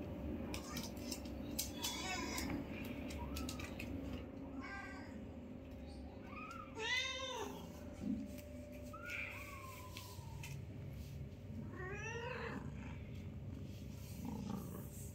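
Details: Five newborn kittens meeting and playing with their mother for the first time, kept as pets at home; repeated short harmonic meows, some rising and some wavering, every two to three seconds, with soft clicks and a constant low hum.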